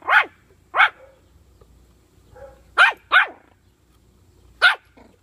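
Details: A puppy with bully sticks lets out five short, bright barks, two early and a quick pair near the middle, with faint whiny squeaks between them, then a final bark before silence.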